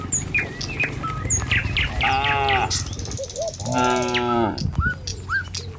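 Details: Dozens of tame cattle on a village road heading to their pen in the morning. Two clear, resonant moos, the second longer and fuller, over a low rumble with scattered bird chirps.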